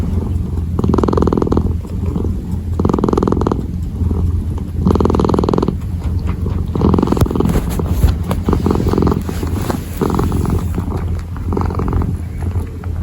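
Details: Kitten kneading and purring: three clear rhythmic swells of buzzy rumble at first, then the purr continues under soft crackling and rustling as the paws work.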